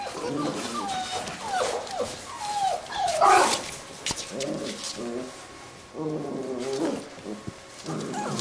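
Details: Playing Labrador retriever puppies of a B litter give a run of high, bending whines and squealing yelps, often overlapping, with brief pauses and light scuffling between bursts.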